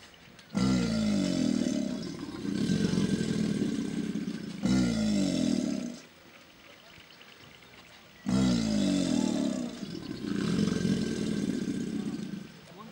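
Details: American alligators (Alligator mississippiensis) give their courtship bellow, a display that typically begins each year in April: deep, rumbling roars each lasting a couple of seconds.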